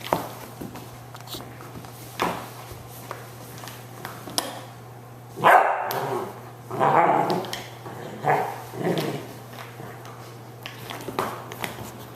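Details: A female Shiloh Shepherd puppy playing with her toys: a few scattered, short, rough growl-like bursts separated by quiet pauses and thumps, over a steady low electrical hum.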